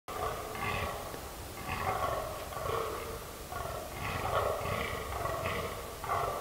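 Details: Fallow deer (Dama dama) giving hoarse, throaty calls in short bursts roughly once a second, over a low rumble of wind.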